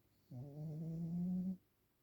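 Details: Pekingese named Waffle snoring during an afternoon nap: one low, steady, humming snore with clear harmonics, lasting just over a second and rising slightly toward its end, against near silence.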